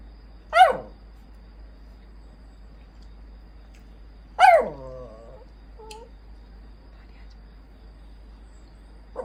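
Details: Puyonce, a rescued stray poodle demanding attention, lets out two sharp yelping whines that drop quickly in pitch, about four seconds apart, the second trailing into a low grumble, then brief nasal squeaks in a quiet room.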